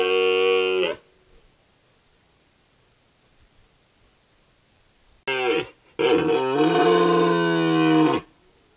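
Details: A red deer stag bellows during the rut in the upper Verdon, a deep, rich, harmonic roar given in drawn-out bursts.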